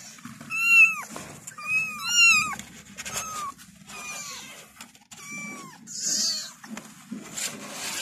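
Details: High-pitched kitten meows calling for the mother, short bent notes in pairs and singles, fading toward the end into rustling and faint cries over a low hum.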